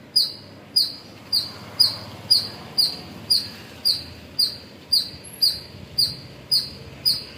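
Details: A squirrel in the morning hours at Pozhichalur gives a run of sharp, high-pitched chips, each a bright clipped note repeated about twice a second, over a faint background hiss.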